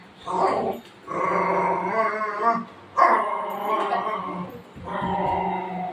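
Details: Golden retriever dog playing with its owner in the afternoon, keeping her from sleeping; three drawn-out, moaning, grumbling vocalizations, each about a second long, separated by short pauses, with no other sounds.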